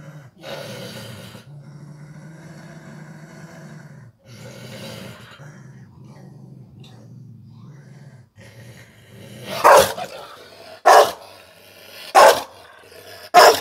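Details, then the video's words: Rottweiler named Cosma having a bad day and freaking out: a long, low, rumbling growl, briefly interrupted, for about eight seconds, then four loud, sharp barks spaced roughly a second apart. "Rottweiler rastet komplett aus"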